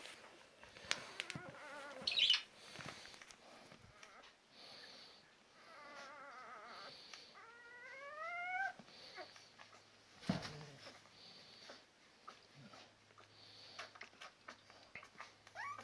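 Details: Litter of Labrador Retriever puppies aged 10 days: high, wavering squeals and rising whimpers in short bursts, one long upward-bending whine near the middle, with scuffling movement and a low background hum between calls.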